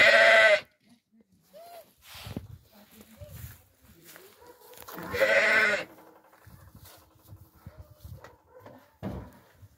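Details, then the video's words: Crossbred Suffolk ewes with some of their lambs. Two loud, harmonic-rich bleats, one at the start and a longer one near five seconds. Softer, brief sounds and shuffling fill the gaps between them. "Oi metis suffolk și o parte din miei"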